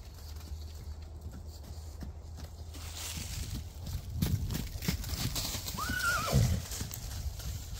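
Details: Registered Percheron filly born in 2023: after several seconds of low hum and shuffling hoof thuds, a single short arched whinny rings out near the end, followed by more trampling.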